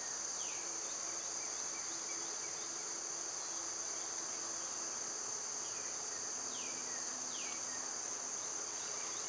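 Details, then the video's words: Summer cicadas keep up a loud, unbroken shrill drone, while birds nearby add scattered sharp down-sweeping chirps, a few early and a pair later on. "Birds & Squirrels w/ Cicada sounds"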